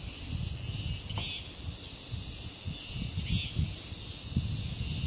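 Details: Cicadas at the village shrine grove of Deoksan village, droning in a steady, unbroken high-pitched hiss, with low gusts of wind rumbling underneath and two brief bird chirps.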